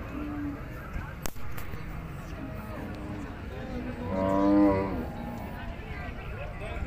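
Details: Bull at an animal market lets out a single mid-length moo with a clear tonal hum, amid a busy soundscape of talking people and a sharp knock early on.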